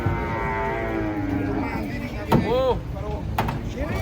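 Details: Cattle being unloaded from a truck, the animal agitated: a long, steady, low moo holds for about two seconds, followed by shouting men and a clatter of handling noise.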